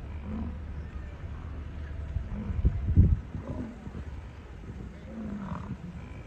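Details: Wild American bison during the August 2022 rut in Yellowstone National Park, bulls showing off to pick mates; a deep, low rumbling roar swells near the middle, with faint vehicle hum and a person speaking nearby.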